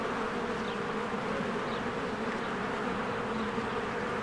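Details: Spring beehive with swarms of honeybees flying in and out, a thick unbroken droning hum layered in low steady tones, a few faint high bird notes drifting over it.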